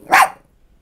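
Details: One short, explosive bark from a Beagle living with chihuahua sisters Snap and Xena, both two, clean and loud with no other sound around it.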